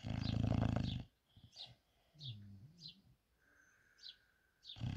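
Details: Sleeping English bulldog named Sebastian snoring: a heavy low rasping snore opens and closes the stretch. Between them come softer low wheezy tones and faint, high, falling chirps.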